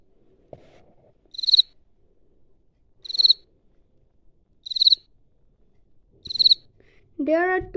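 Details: A field cricket, chirping at its burrow as if defending it, gives short, pulsed chirps about every second and a half, made by rubbing one wing against the other, with a voice at the end.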